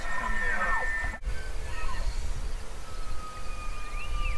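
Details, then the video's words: Elk bugling: high whistled tones near the start, then a long steady whistle with a thin rising-and-falling overtone at the end, over heavy low wind rumble. "Elk Bugling"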